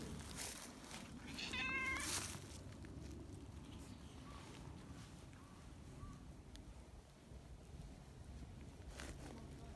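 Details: Affectionate tortoiseshell neighbourhood cat, kneading and eager to be stroked, lets out a short bright meow amid rustling and handling noise. A few faint chirps and a brief human murmur follow.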